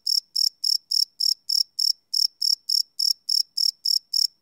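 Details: High, clear cricket chirps at night, taken live on a Sony PCM D100 field recorder, pulsing steadily around three and a half times per second with no other sounds.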